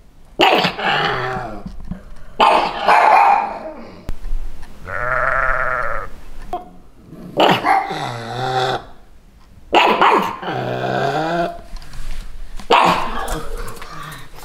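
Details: Pugs Lilly and Lucy in Santa costumes barking to defend their territory against bleating sheep; loud harsh barks alternate with long wavering sheep bleats across the stretch, with background music.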